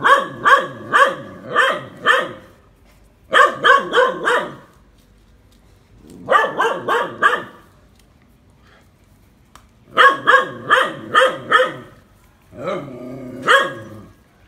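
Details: Phu Quoc Ridgeback dog barking while being trained to catch snakes, in repeated bursts of three to five rapid barks separated by short silences over fourteen seconds, the final burst lower and more drawn out.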